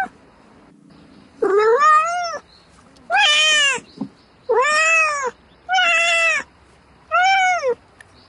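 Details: Domestic cat meowing at night to call for a mate: five loud, drawn-out, arching meows with rich harmonics, each rising then falling, repeated about every one and a half seconds against a quiet background.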